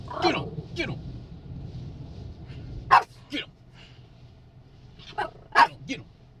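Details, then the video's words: Chiweenie, a Dachshund and Chihuahua cross, reacting at a car wash: a few sharp barks and yips spaced a second or more apart, with a person talking and low machinery rumble beneath. "Chihuahua No like Carwash"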